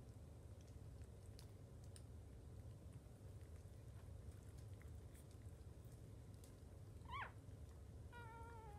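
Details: Jack Russell Chihuahua mix mother with her five newborn puppies, kept as a pet dog: a short, high, wavering squeal near the end, followed by a thin, steady whine, over a constant low room rumble and soft clicks.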